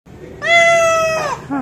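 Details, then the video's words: Hungry domestic cat giving one long, steady, tonal meow of about a second that bends downward at the end, followed by a brief, softer falling mew. "Hungry Cat Meowing"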